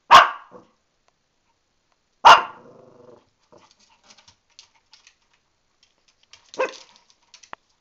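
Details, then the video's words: Shih Tzu female, upset about an upcoming bath while stuck in the tub, barks sharply twice about two seconds apart, then faint rustling and clicks, a further bark and one more starting at the end. "the Shih Tzu barking"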